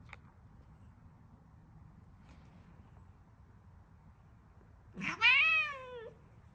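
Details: Relaxed cat giving one clear, drawn-out meow near the end, rising sharply then easing downward over about a second, after several seconds of near quiet indoors.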